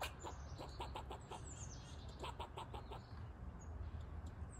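A squirrel barks in quick bursts of sharp, clipped chucks, several each second, with a few thin high squeaks mixed in. A steady low rumble sits underneath.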